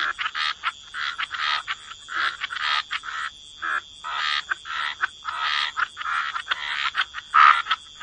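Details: Frogs croaking at the waterside in rhythmic bursts of rough, nasal croaks, several per second with short gaps, over a constant high-pitched insect drone.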